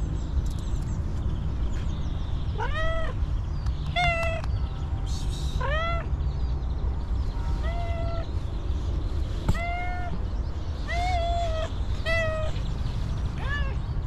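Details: Homeless female cat, very hungry after a long time without eating, repeatedly meowing, roughly ten plaintive harmonic calls spaced one to two seconds apart, some bending downward, over continuous low background rumble with occasional clicks.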